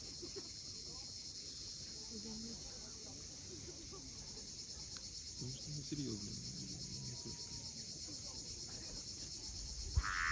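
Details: Cicadas at sunset on the steep coast of Cape Fiolent, Crimea: a steady, high, shimmering buzz runs unbroken through the whole stretch, over a low rumble of waves and faint scattered low notes.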